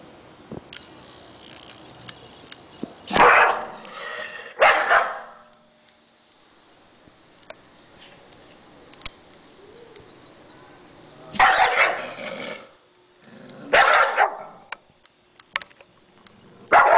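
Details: A Bull Terrier, showing off while eating, gives rough, throaty, harsh bursts of barking or grumbling in short clusters of about a second each, separated by quiet pauses with faint clicks and small knocks.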